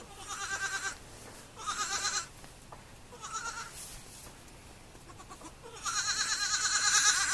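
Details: Baby goats on a farm bleating: four quavering, nasal bleats with a trembling tone. The first three are short and spaced about every one and a half seconds. A longer, louder bleat closes the sequence.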